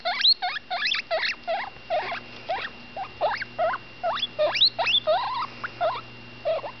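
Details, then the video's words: Young female cavy, about ten days old, calling while feeding: clusters of short high squeaks, several sweeping steeply upward, in quick irregular bursts with brief pauses, soft background hum. "My baby cavy butterscotch making noise"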